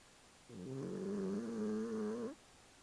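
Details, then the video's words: Puchini, a pet cat, snoring: a steady low droning tone with stacked harmonics, holding for almost two seconds with a slight wobble before stopping abruptly, over a faint quiet background. "Puchini roncando."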